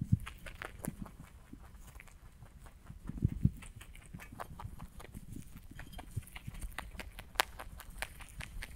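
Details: Rabbit eating hay, recorded close for ASMR: crisp irregular crunches and snaps of stalks being bitten and chewed, with soft rustling of the hay between bites.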